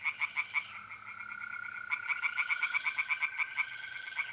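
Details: Night chorus of tree frogs in a pond, mid-April, north-east Italy, mole crickets trilling too. Quick rasping pulses in bursts, a brief lull, then a fast run of loud croaks over a steady buzzing trill.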